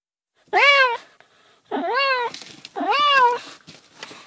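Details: Cat meowing three times, each cry swelling upward and sliding back down, with a faint hiss of room noise and soft rustling between calls.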